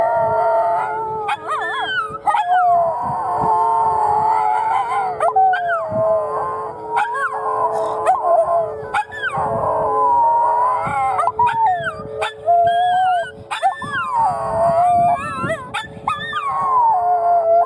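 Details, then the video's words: Two Miniature Schnauzers, Bella and Lilly, in Oklahoma City howl at the Saturday noon tornado siren test: wavering, sliding howls rising and falling over a steady droning siren tone, broken by short sharp yelps. "The girls don't like the storm siren test"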